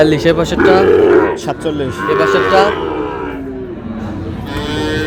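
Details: Sahiwal bull calves bought by a Noakhali farmer at a cattle market, 27/7/26: two drawn-out, harmonic-rich moos, the first lasting under a second, the second shorter, with men talking between and after.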